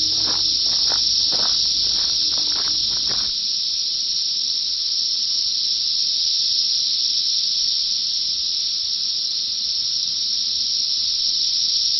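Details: Thousands of Brood X periodical cicadas at the peak of their 17-year emergence fly in treetops at Big Bone Lick State Park, northern Kentucky, screaming to find mates. A steady, deafening high-pitched drone fills the air, and a man speaks briefly at first.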